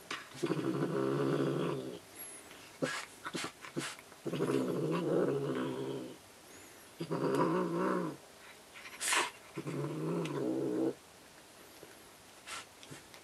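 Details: Ohagi, a pet cat riled up by a toy, growls indoors in four long low rumbling bouts of one to two seconds each, separated by pauses with faint clicks and rustling.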